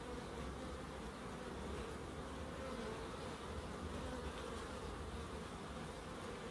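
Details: Soft unbroken humming of bees foraging in a small home wildlife garden in Crookes, a low, even drone holding steady throughout.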